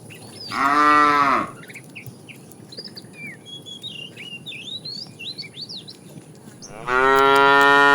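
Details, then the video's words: Tame cows roaming a road looking for food: a loud harmonic moo near the start and another at the end, with many thin whistled bird chirps between them. "Funny cow sounds"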